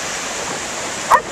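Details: Female Standard Poodle in the waves at the beach after losing her tennis ball, other dogs watching from the shoreline; one short, sharp bark near the end over a steady roar of surf.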